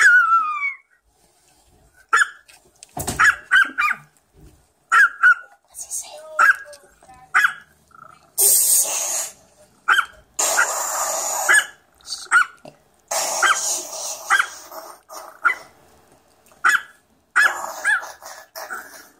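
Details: A Chihuahua's run of short, high, yappy barks, some drawn into whiny, talking-like yelps, plays from a computer while another dog listens.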